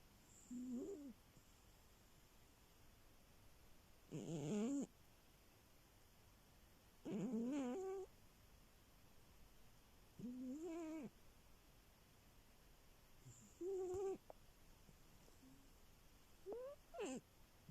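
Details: Sleeping cat snoring indoors, each breath carrying a squeaky, voiced rise-and-fall tone, about every three seconds in a steady rhythm, with a quiet room between breaths.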